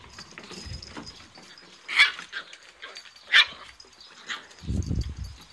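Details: Eight-week-old Italian Greyhound puppies from one litter give a few sharp, high-pitched yips and squeaks between quiet pauses.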